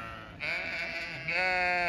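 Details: Zwartbles ewes on a regenerative farm in County Kilkenny, Ireland, chatty as the owner checks their field in autumn; two loud, harmonic, wavering bleats, the second starting just past a second in, over low wind noise.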